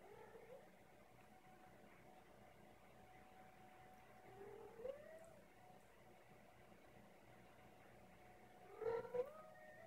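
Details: Macaroni, a deaf male cat, recorded in November 2016 giving quiet meows: two short, soft mid-pitched meows, one near the middle and one near the end. A steady low indoor hum runs underneath.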